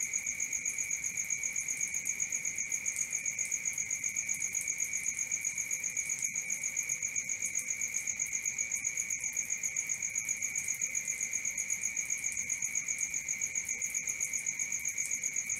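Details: Nocturnal cricket chorus, constant and even: a high, rapidly beating chirp near four pulses per second layered over a lower sustained buzzing note, persisting for the whole stretch.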